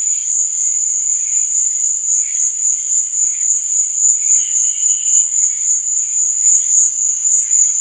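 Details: Crickets sing through the night in a dense, high, ringing trill that pulses steadily several times a second, with weaker chirping calls scattered beneath.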